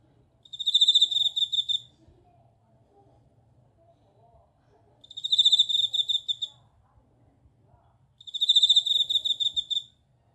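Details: Bell cricket singing a repeated, high, clear ringing trill, three pulsing bell-like bursts of about a second and a half each, spaced roughly three and a half seconds apart, with quiet low hum between them.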